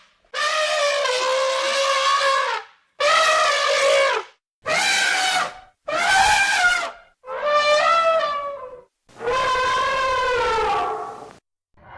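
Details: Elephant trumpeting in a run of six long brassy blasts, each about one to two seconds, strongly harmonic and slightly wavering, with short silent gaps between and no other sounds.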